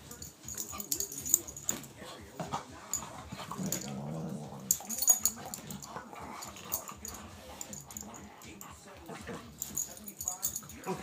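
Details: A sixteen-week-old rottweiler puppy and a nine-year-old pitbull, blind since birth and trying to play nice, wrestle together. Continuous scuffling with soft growls and snuffling runs throughout, overlaid by rustling and occasional voices.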